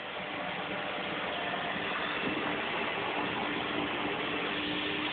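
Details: A vacuum cleaner hums and hisses steadily throughout, with a faint thin tone in the noise and no animal voice heard.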